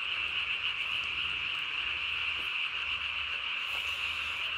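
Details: Night recording from 3 May 2020 of a Japanese tree frog calling with its chin sac blown up as big as its body; a continuous, fast-pulsed shrill trill drones on evenly, with faint soft clicks.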